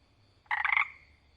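A frog gives one short, raspy croak made of quick pulses, fairly high-pitched and buzzy.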